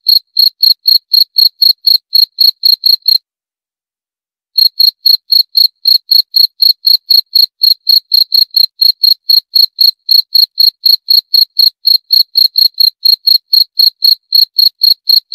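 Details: Cricket chirps: a long series of sharp, high-pitched trilled bursts at roughly four per second, broken by a silent pause of about a second and a half before the chirping resumes.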